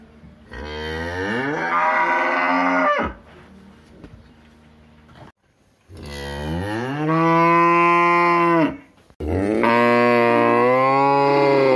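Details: Cow in a village setting giving three long moos, each starting low and rising into a drawn-out, harmonically rich bellow, separated by short quiet gaps with faint background noise.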